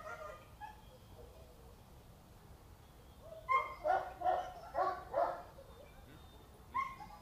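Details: A 2.5-year-old female Boxer in training in Hungary, a dog described as unruly and reacting intensely to everything around her; a quick run of five sharp, harmonic barks in mid-clip, with scattered softer vocal sounds before and one more bark at the end.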